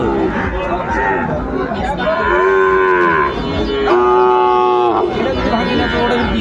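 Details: Sahiwal cattle at a Sylhet livestock market in Bangladesh on 16 December 2024, among bull calves for sale. Two rich, droning moos are heard, each about a second long, over a background of market bustle and faint voices.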